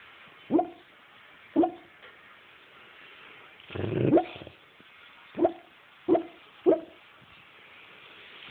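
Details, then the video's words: Bailey, a dog, barking in her sleep: soft, muffled woofs about once a second, with a longer smothered huff in the middle, against a quiet indoor background. "Bailey sleep-barking"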